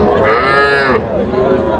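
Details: Cattle at a market in Cumilla, Bangladesh, on 28 June 2025, where farmers are buying small bulls and heifer calves. One loud, tonal, drawn-out moo lasts about a second, and men's voices are bargaining around it.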